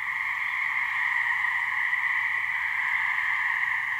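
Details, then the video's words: From a New Hampshire swamp, a couple of gray treefrogs (Hyla versicolor) sound their mating trills as one sustained, buzzy, constant tone holding steady throughout. "Gray Treefrog mating call"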